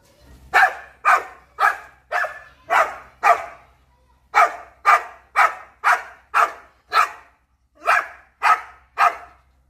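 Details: Female American Pit Bull Terrier barking wildly after seeing a monkey: loud, harsh barks repeated about twice a second in two bursts, broken by a short pause near the middle, over a faint low hum.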